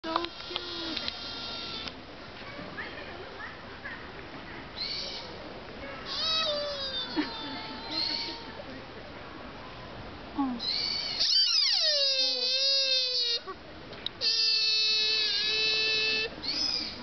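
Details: A deer in Nara Park gives strange, drawn-out, wavering, nasal bleating calls, almost like an angry baby, with people chatting in the background.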